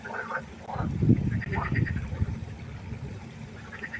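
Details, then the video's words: Frog concert at night by a pond: several overlapping low, pulsed, rattling croaks in bursts, with some higher nasal notes above and a steady low background hum. "1 Stunde Froschkonzert. Frosch Geräusche quaken. Frösche Geräusche Konzert"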